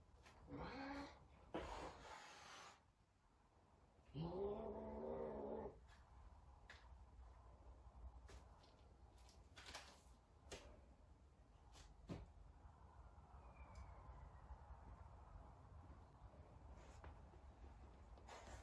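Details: Talkative Savannah cat Sabian meowing as he searches for Sabina: a short rising meow, then a longer drawn-out, wavering harmonic yowl lasting about two seconds, followed by household clicks, knocks and faint background noise.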